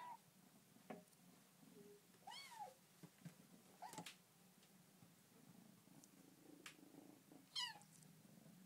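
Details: Dilly, a Bengal kitten getting to know her new home, chatters with three wavering, arched meows spaced several seconds apart, plus small chirps and a continuous soft purr in a quiet room.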